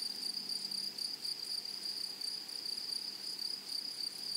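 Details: Grasshoppers in a flowery meadow or prairie: a steady, high shrill hum with a fainter, even higher overtone, pulsing softly in quick beats throughout, with no other clear sounds.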